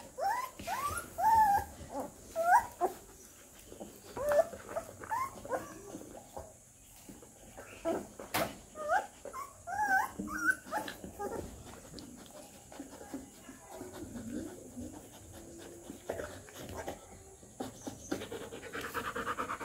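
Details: A three-week-old Rottweiler puppy gives a string of thin, high squeaky whimpers and yips.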